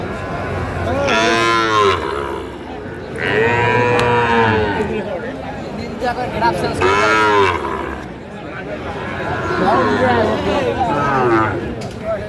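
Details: Sahiwal breed bull cattle at a cattle market in Comilla, Bangladesh, on 11 February 2025: four long, drawn-out moos with rich harmonics, spaced a few seconds apart, over a steady hum of market noise.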